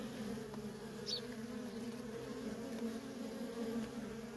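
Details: Feral honey bee colony with worker bees coming and going nonstop: an even, many-winged drone in a low register, with one brief high chirp from another creature just after the first second.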